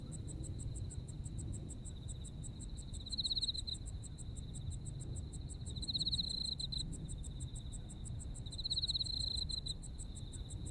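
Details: Insects calling on an autumn night in Japan, a fast train of sharp high chirps over a steady ringing trill that swells louder roughly every three seconds; soft low-frequency noise fills the background.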